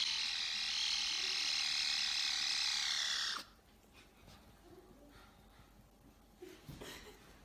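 A caracal kitten gives a harsh, buzzing, laser-like call that ends in a quick falling sweep.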